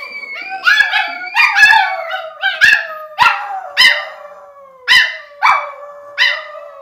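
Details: {'text': 'Several dogs, described as puppies, howl in reaction to a theremin, with overlapping drawn-out harmonic howls that slide downward, interrupted by sharp yelping onsets roughly every half second to second; a person exclaims about their faces.'}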